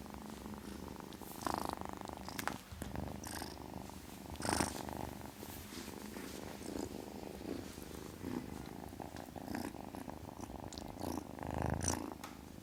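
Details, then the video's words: Kitten purring continuously, a soft low rumbling vibration with gentle breath swells and a few brief rustling noises. "Kitten purrs sound, kitten hiss sound"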